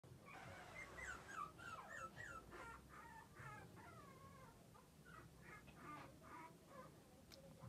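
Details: Male Pomeranian puppy whimpering: thin, wavering whines that slide up and down, with short yips, repeated several times over soft room noise.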